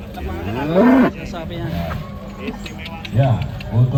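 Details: Cattle at a cattle contest in Kediri, Indonesia, where a very young contestant leads a huge cow; deep, low moos swell near the start, then shorter grunting lows return toward the end, over crowd chatter and background music.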